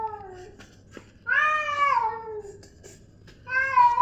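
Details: Angry domestic cats facing off outside; a short falling meow, then a loud, rising-and-falling wavering yowl, and another meow starting at the end, with light clicks between.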